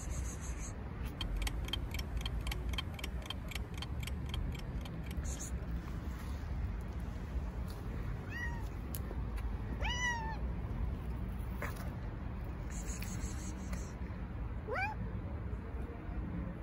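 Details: Neighbourhood stray cat, a fluffy female fed alongside her crew, utters three short descending meows near the end, preceded by a run of rapid clicking pulses, all over constant low-frequency rumble.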